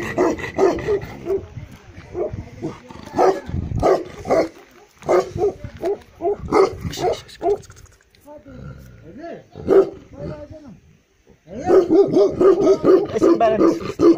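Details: Black male Tibetan Mastiff (Bhote kukur) in Eastern Nepal giving very deep barks in irregular bursts, a quiet pause midway, then a fast run of repeated barks at the end.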